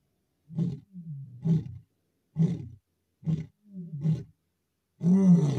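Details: Male lion chasing another male lion in the Masai Mara on 7 July 2024; a series of deep, grunting roar pulses, about six short bursts over several seconds, the last one louder and fuller.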